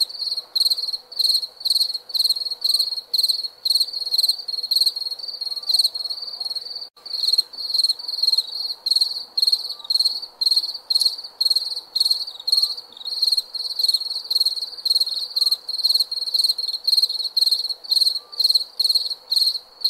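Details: Nighttime crickets chirping continuously, shrill pulsed bursts about twice per second, with a brief dip near seven seconds before the steady high trilling resumes.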